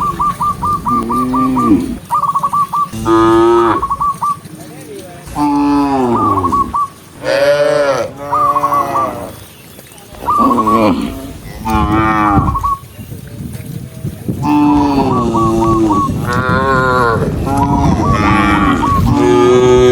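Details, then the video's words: Tame cattle herded together along a countryside path at sunset, mooing to call other cows home: a run of deep, drawn-out moos of varying length, some rising then falling, broken by short gaps, with quick chirpy trills repeating between them. "with the sound of cows, cow Sound"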